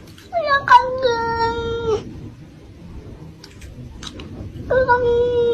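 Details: Funny domestic cat meowing indoors: a long steady meow with a rising start, a short squeak, then another meow starting about five seconds in; faint background noise between calls.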